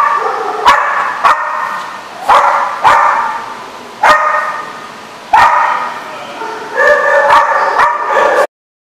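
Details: Dog barking at a dog facility, a run of loud harmonic barks repeated every second or so, with a couple of rapid double barks near the end before it cuts off.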